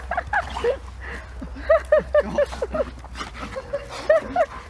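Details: German Shepherd named Saber, overexcited at reunion with his owner after just over two weeks apart, giving a run of short, high, whining whimpers and yips, some rising then falling, spaced every fraction of a second, with a man's voice over them.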